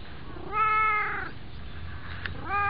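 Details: White cat climbing onto a person's knees, giving one long, steady, clearly voiced meow lasting under a second, then starting a second similar meow at the close.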